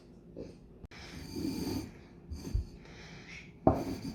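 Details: Raspy, wheezing snore from the French Bulldog Loki while being offered food to taste: a long rattling inhale, a softer snort, then a sharp click, all in a quiet small room.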